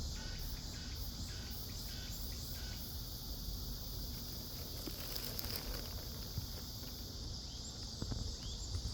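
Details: Midsummer cicada chorus in a Seoul forest, heard as a continuous high-pitched buzz that holds steady through the recording, with faint pulsing early on, scattered patter and low ambient rumble beneath.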